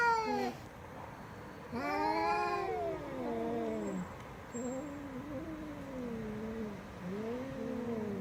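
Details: Cat in a small room, one short cry followed by a loud wavering yowl and then a run of lower drawn-out moaning calls that rise and fall, spaced a couple of seconds apart.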